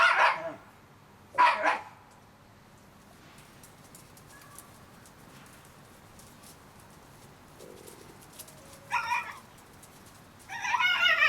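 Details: Whimpering Shiba Inu puppies aged 30 days: two sharp squealing cries at the start, a long quiet stretch with only a faint low whine, then renewed harmonic yelps building toward the end.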